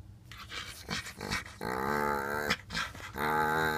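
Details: A white French bulldog puppy, five months old, with a five-year-old blue nose pitbull, named Storm and Bellatrix, July 2, 2014. Drawn-out, tonal whining growls last over a second each, broken by short huffs and scuffles.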